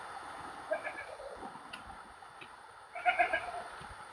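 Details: Goat bleating in the dark at night near a graveyard; two short wavering bleats about two seconds apart, with faint background hiss.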